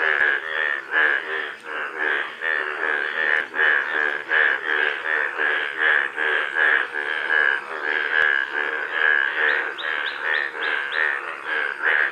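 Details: Golden frogs calling indoors: a dense run of pulsed, croaking notes near the same pitch, overlapping steadily at about eighty per minute, with faint high tones in the background.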